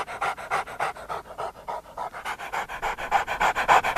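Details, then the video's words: Dog panting hard and fast, roughly three and a half breaths per second in a steady rhythm, each breath a broad breathy rasp with no clear pitch, growing a little louder toward the end. "How dogs sound"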